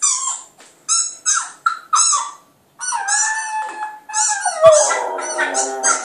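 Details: Clyde the Border Terrier puppy howling at a computer: a few clipped yips, a short pause, then a sustained wavering howl that drops in pitch and ends in a cluster of cries.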